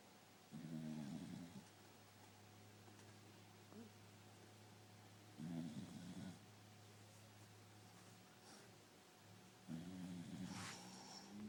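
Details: A tired corgi sleeping snores in low, rumbling breaths that return roughly every four to five seconds.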